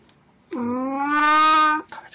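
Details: Plan, a pet cat dressed in a Snow White costume for an encore on April 1, 2017, gives a single long meow lasting over a second, steady in pitch with a slight rise near the end, in a quiet room.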